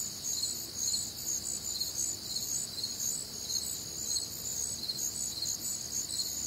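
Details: Warm, humid summer night in the Midwest, full of crickets: high, thin chirps pulse roughly twice a second in overlapping layers, forming a continuous shimmering chorus over faint low background rumble.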